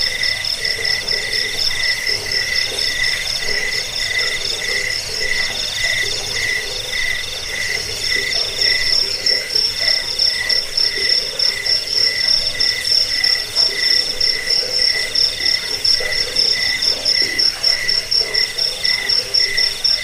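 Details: Several crickets trill together in a recording used to chase away rats and train birds. Piercing, rapidly pulsed notes stack in high bands, with a softer band breaking into short rhythmic bursts.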